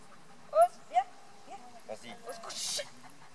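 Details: Four-year-old female Beauceron Oz du Fond des Camps, born 06/08/2019, daughter of Kokkaï and Virgile, at an educational gathering, gives two short, high, rising yelps in quick succession, followed by French speech and handling noise.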